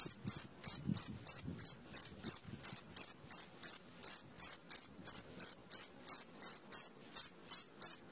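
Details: Steady midnight cricket chirping, an unbroken series of bright, high, ringing pulses about three per second, with faint low murmuring noise in the first few seconds.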